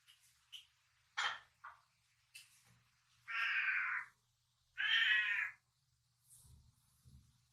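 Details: A four-year-old male Tonkinese cat with a platinum mink coat, indoors at night, asks for a snack. Two long, loud, harmonic meows last about a second each. Faint short chirps and soft rustles come between them.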